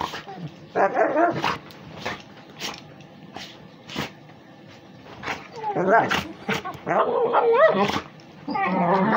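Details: A Pitbull and a Beagle–Basset Hound mix play-fighting; harsh rasping growls and snarls in short bursts, some rising whiny tones near the end, with scuffling between bursts.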